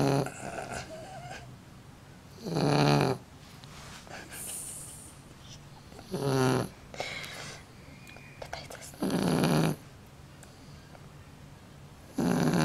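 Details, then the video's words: Shar Pei dog snoring loudly, compared to a real man's snore: rough, low rumbling snores roughly every three to four seconds, some with a buzzy rattling texture, quiet room between breaths. "Шар-пей! Храпит, как настоящий мужик!)"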